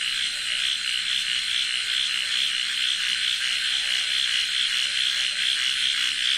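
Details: At dusk in a Bangladeshi village, a deafening night chorus of frogs near water forms a dense, high, rattling wall of calls with no break, with crickets and other insects also calling.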